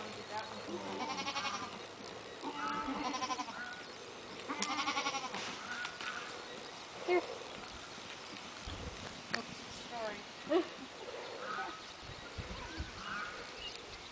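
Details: Young goat kids playing together on a farm; several harmonic bleats rise and fall in the first five seconds, then scattered short calls, with people talking nearby throughout.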